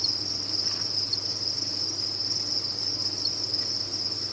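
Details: Captive crickets at a cricket farm give a dense, high-pitched chirping chorus, constant and shrill, a few brief louder pulses standing out, over a quiet low hum.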